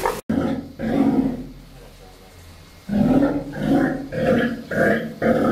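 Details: At an aquarium in Ise, Japan, a two-month-old Steller sea lion pup swimming in its first pool produces hoarse, roar-like harmonic calls: one burst early, a pause, then a rapid string of five calls.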